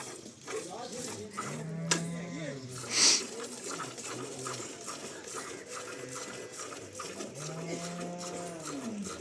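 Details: Cholistani Jersey cross cow in Pakistan, March 12, 2025, giving two long, low, steady moos, the first early on and the second near the end, over ongoing human chatter and a few bird chirps.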